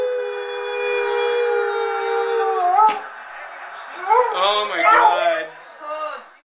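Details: An excited beagle, prompted by its owners celebrating the Steelers reaching the Super Bowl, holds a long, level howl that bends upward at the end. After a brief pause come shorter, wobbling, yodeling bays that rise, fall and trail off.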